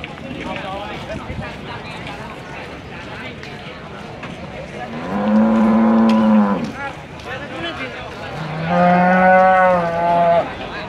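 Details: Simmental bull, Indonesian show-quality animal, lets out two long drawn-out moos, each lasting about a second and a half, separated by a short pause, over low background chatter.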